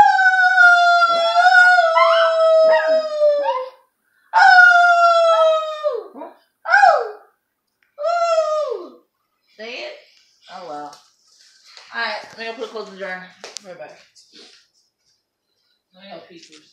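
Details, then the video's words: Owner coaxing a pet dog to howl: two long sustained howls that slowly fall in pitch, followed by shorter wavering, yodel-like notes that break up and fade into quiet yips with pauses between. "My mom trying to make my dog howl"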